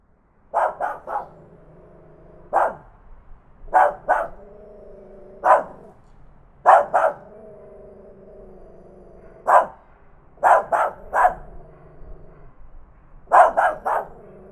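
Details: Tiny dog barking loudly, captured on a Zoom H5 handheld recorder: about fifteen sharp, bright barks in irregular bursts, often doubled or tripled in quick succession with pauses of one to two seconds, over a faint steady low hum.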